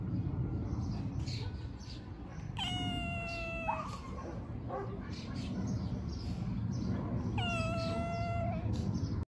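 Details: Homeless young cats on the street, fed by a volunteer, call with two drawn-out meows about five seconds apart, the first ending in a short upward break, amid continuous low-pitched street noise.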